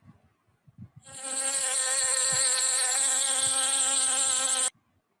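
A bee's steady, droning buzz, low and even in pitch with a rich, rasping tone, holds for about three and a half seconds before cutting off abruptly.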